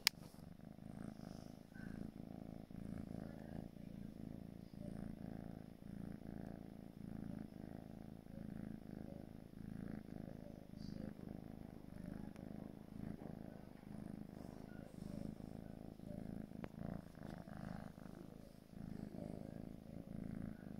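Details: A 4-month-old gray British Shorthair kitten (Felis catus) purrs steadily, a low rumbling hum pulsing with each breath.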